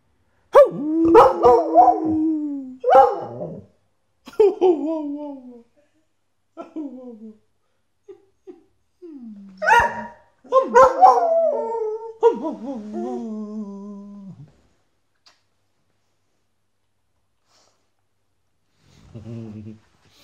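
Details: A Border Collie howls along with a person, in wavering, sliding notes broken by short yips and pauses.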